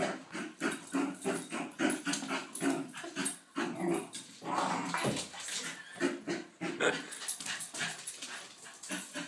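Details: Doug, a Lakeland Terrier, in a frenzied indoor play fit, biting and attacking feet: a steady stream of harsh, rapid growls and snorting snarls, pulsing several times a second throughout.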